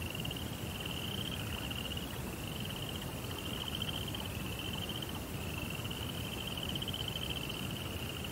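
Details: Crickets at night, set in a Japanese Zen rock garden: a steady, high, pulsing trill that runs almost without break across the whole stretch, over a constant low rumbling hiss.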